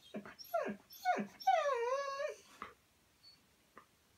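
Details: Siberian Husky giving two short falling yelps followed by a sustained, wavering howl lasting about a second, then brief faint sounds and quiet.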